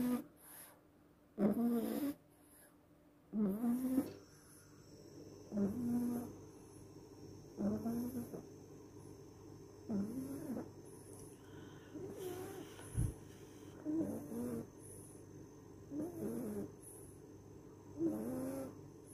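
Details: French Bulldog, a male pet dog, snoring in his sleep: low, rasping, wheezy breaths repeating roughly every two seconds, with a steady faint high hiss and brief louder noises early on.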